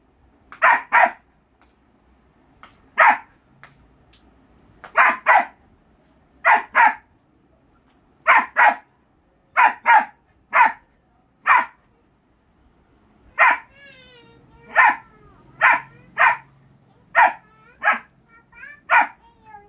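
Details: Persistent barking by a German Shepherd puppy, often in quick pairs, about two dozen sharp barks over twenty seconds, with a whiny, wavering yelp blending in partway through.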